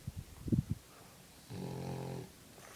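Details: French bulldog asleep, blowing bubbles: a few short wet snorts, then one long, low, buzzing snore of under a second in a quiet indoor room.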